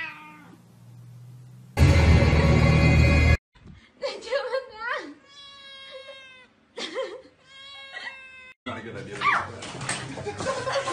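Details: An afraid house cat, from a funny compilation, produces a run of strained, wavering meows and short yowls in the middle, preceded by a loud burst of music and followed by noisy clatter and rustling.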